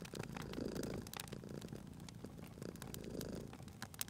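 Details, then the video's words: Purring cat near a crackling fire, soft low rumbling purr in gentle swells, mixed with frequent sharp pops and snaps of the burning fireplace. "Cute Purring Cat at a Crackling Fireplace"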